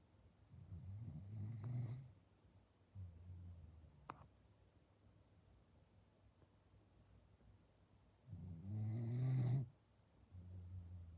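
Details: Standard Poodle named Kinako asleep and snoring indoors: two long, loud rasping low snores around the second and ninth seconds, separated by softer, quieter breathing, plus one brief sharp click in between.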